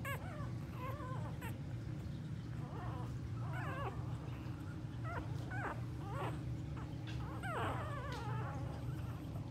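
Staffordshire Bull Terrier puppies give thin, high whimpers and squeaks over a steady low hum.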